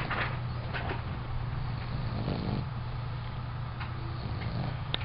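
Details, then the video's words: Bruce, a sleeping puppy, snoring: soft, rough, breathy snores at irregular intervals over a steady low hum. "Puppy Bruce, Snoring"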